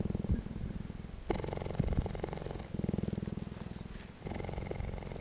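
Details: A cheetah at Naankuse, Namibia, purrs in a loud, continuous, low vibrating rumble of rapid pulses, in long phrases of a second or more, with brief tone shifts as it breathes in and out.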